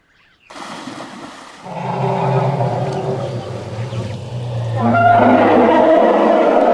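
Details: An elephant gives a deep, steady droning rumble lasting several seconds, then bursts into a loud, harsh, blaring trumpet that carries to the end.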